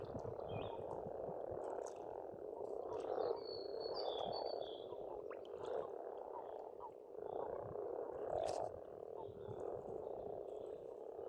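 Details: Spring frog chorus from an Estonian pond, many frogs croaking at once in a thick, steady murmur. Brief bird whistles break in now and then over the top.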